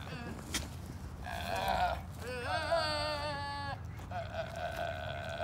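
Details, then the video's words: A chubby female goat bleats three times, loud nasal wavering cries with a quavering tremolo. "Mia the chubby goat making funny noises!"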